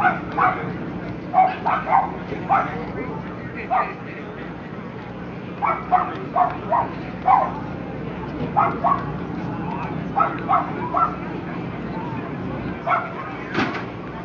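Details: Lhasa Apso classes at the Somerset Hills Kennel Club show, September 5, 2009: a long run of quick, yappy barks, often in pairs or bursts of three, repeating through the clip against a continuous murmur of voices in the hall.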